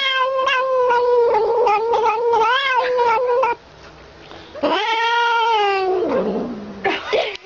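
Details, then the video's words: Bottle-fed kitten noisily crying as it drinks milk: a long, wavering wail lasting over three seconds, a short pause, then another strong call that rises and falls, ending in a brief squeal. "Kucing buat bunyi bising sambil minum susu botol"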